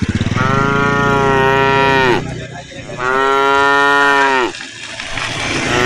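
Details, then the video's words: A tame cow of a herd walking through woodland gives two drawn-out moos, each around 1.5 seconds and sliding downward at the close, over a continuous low rumbling background with brief pulsed sounds at the start. "herding a herd of tame cows walking through the forest while making sounds"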